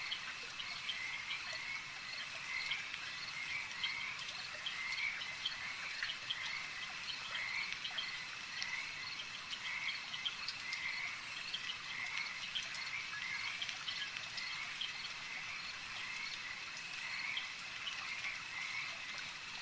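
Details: Chorus of frogs at a lake: rhythmic, closely spaced croaking pulses repeating in runs every second or so over a constant high buzzing background, dense and unbroken.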